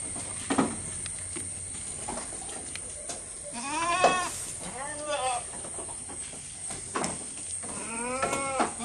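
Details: Goat filmed close up while eating; scattered soft clicks and rustles of feeding, broken by several wavering bleats, a long one near the middle and another near the end, over a steady high electrical whine.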